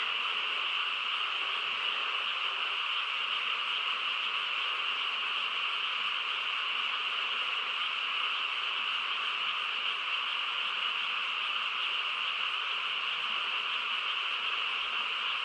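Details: Frogs chorusing on a quiet countryside night: a dense, unbroken wall of trilling croaks, steady from start to finish, with bright bands held high and in the middle range, no pauses and no other clear sounds.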